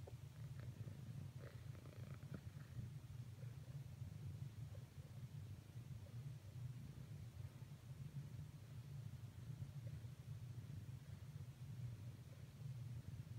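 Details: A domestic cat purring during renewed attempts at cuddling with a companion; a steady, low, vibrating drone dominates, with only a few faint rustles early on and otherwise quiet surroundings.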